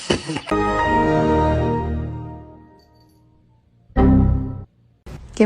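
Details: A sustained musical chord fades slowly, followed by short bursts of speech and a bright final chime, with no animal sounds.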